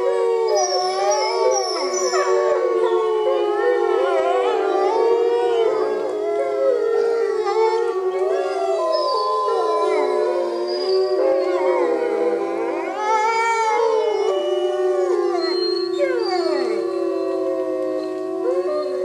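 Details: Chorus howl from a wolf pack at Bays Mountain Park, undeterred by rain: one steady low howl runs throughout beneath many higher, bending and quavering voices that rise, fall and overlap.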